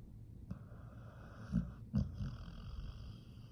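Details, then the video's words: Pit bull asleep and snoring, low rasping breaths with short snorts at about one and a half and two seconds, over a continuous soft rumble. "the pit bull is snoring"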